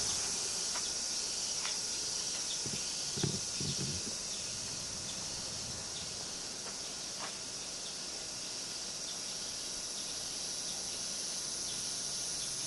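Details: Cicadas in Minami-Magome, Tokyo, Japan, on a summer day, 8 August 1991: a steady, dense high-pitched buzzing hiss with a thin sustained whine above it, lasting throughout, plus a few brief low thumps near three seconds.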